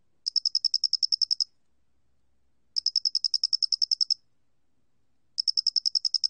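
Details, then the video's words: Loxoblemmus doenitzi cricket singing, from a 2020 National Institute of Biological Resources recording: bright, high-pitched pulsed chirps, bursts of around twelve quick notes over about a second, repeating after gaps of a second or more, no other sounds. "모대가리귀뚜라미, 여러번 듣기, 곤충소리"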